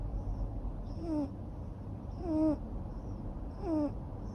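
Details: Asleep and snoring, a neutered male long-haired Ragamuffin cat makes nasal, falling whistle-like tones with airy hiss, three breaths spaced roughly one and a quarter seconds apart over low room rumble.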